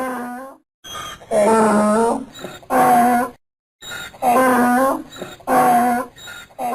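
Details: A donkey brays repeatedly, strong rasping harmonic heaves roughly every one and a half seconds, each followed by a quieter intake, in a steady hee-haw seesaw.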